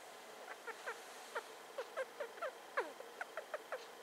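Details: Pet female hamster, just over two years old, squeaking while sniffing around, a habit grown louder and more continuous with age; about a dozen short, high, downward-sliding squeaks in an uneven series over four seconds.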